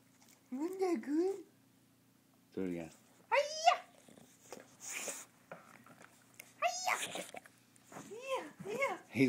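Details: Pet bulldog Oscar performing karate tricks indoors, letting out warbling, yowl-like 'talking' sounds in separate bursts, some rising sharply then falling, with an owner praising and coaxing him in between.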